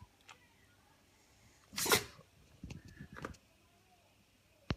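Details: A pug gives one sharp, explosive sneeze, then a few softer snorts and sniffs, while being coaxed to look at the light; the owner suspects something got into its nose.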